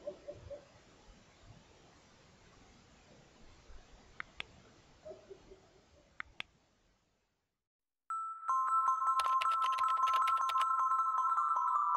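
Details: Quiet background hiss with a few sharp clicks gives way to silence, then a sustained ringing electronic tone with chiming pulses.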